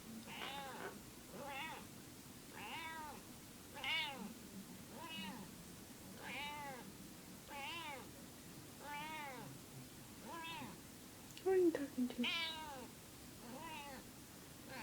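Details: Female house cat, possibly in heat and making weird noises, repeats short arched meows roughly every second for nearly fifteen seconds, steady and insistent, with a brief human voice near the middle.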